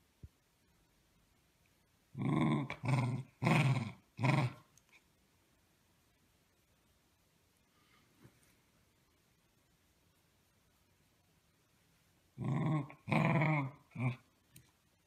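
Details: Corgi dog giving two bursts of low, rough growling with harmonics, each a cluster of four short rasping pulses about half a second apart, separated by a long quiet gap; indoors, nothing else clearly heard.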